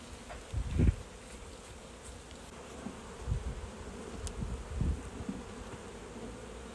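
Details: Honey bee colony humming steadily as the beekeeper works the hive in August near Strasbourg, France, removing the drone frame after varroa treatment; a few dull thumps and knocks break through the constant buzz.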